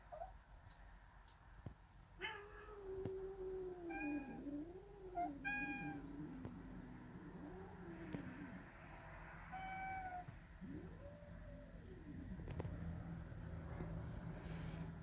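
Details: Three kittens at a grandmother's house, sitting beside their caretaker on the wooden porch floor, give a series of drawn-out, wavering meows, some rising then falling, spaced a second or two apart over low background rumble.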